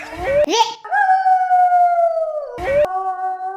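A wolf's long, steady howl holds a mid-pitched tone that sags slightly at the end, with a voice speaking the animal's name before and after.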